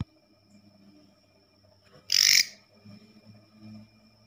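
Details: Katydid inside a house at night: a single sharp, raspy buzz of about a third of a second, rising out of quiet surroundings with a faint low murmur.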